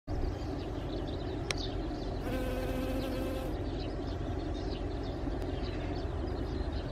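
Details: Honeybees buzzing in a steady low drone that holds throughout, with a brief higher tonal whine near the middle and a couple of sharp clicks.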